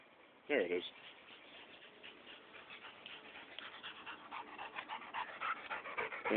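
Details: Rosie the dog, keen on a game of fetch with a tennis ball, whimpers and whines in quick pulsing bursts that grow busier toward the end, with a sharp knock near the start and people talking in the background.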